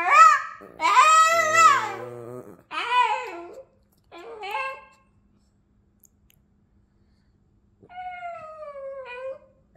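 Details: Boston, a Boston terrier known for being exceptionally vocal, sings in short broken howls, loud at first, then a few brief yelps, a pause, and a last quieter sliding howl.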